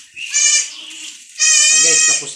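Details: Goat kids given an iron injection bleat twice. Two strained, quavering cries rise and hold, the second one longer and louder, and a faint low murmur sits underneath.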